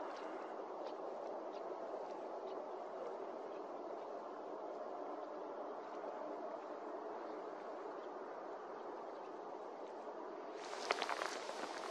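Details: Steady broadband rushing noise, like wind or distant traffic, throughout, with a brief harsher burst near the end and no clear animal calls.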